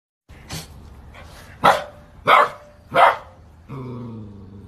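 A Saint Bernard puppy gives a few short, yappy barks in quick succession.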